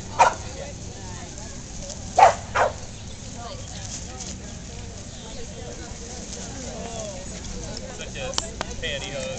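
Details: Corgis Darla and puppy Sweety playing together at a July Corgi meetup: a sharp yip near the start, then two quick barks around two seconds, followed by quieter background chatter and soft noises.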